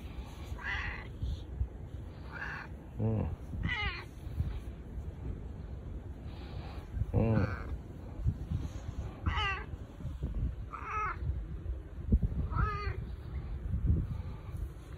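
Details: Boss cat Bū-chan, a domestic cat, meows in a husky voice while rubbing up against a person for affection with no other cats nearby; about eight drawn-out, wavering meows spread over fifteen seconds, with low rumbling background and some human voice.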